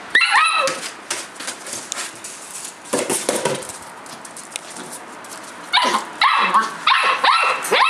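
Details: Outdoors on 9 March 2012, a 57-day-old collie puppy gives a sharp high yip, then after a quieter stretch of shuffling noise a quick run of several shrill rising yelps near the end.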